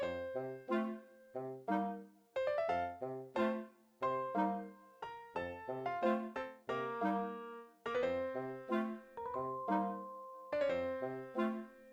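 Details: Brass instrument music with piano plays throughout in a bouncy, repeated melody, with no animal sound.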